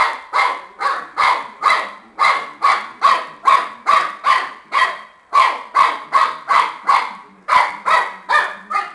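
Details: Shar Pei puppy barking while playing with a tennis ball: short sharp yaps repeated rapidly, more than two per second, in a steady run with one brief pause midway.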